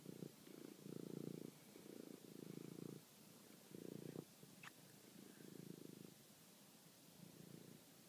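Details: Toby, a pet cat, hunting and killing a mouse at night, filmed on a phone; low pulsed purring comes in bursts under a second long, about seven of them, with a brief thin high squeak midway.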